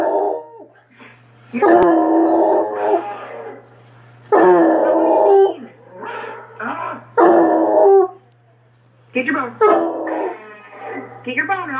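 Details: A Treeing Walker Coonhound barks at a hound on a video, giving loud, drawn-out baying barks in separate bouts, with a steady low hum behind.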